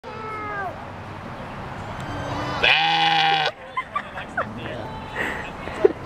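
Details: A sheep at Portland Zoo in 2009 gives a higher falling bleat, then a loud, coarse, rasping bleat lasting almost a second that sounds oddly like gagging or retching. Faint voices and clicks follow in the background.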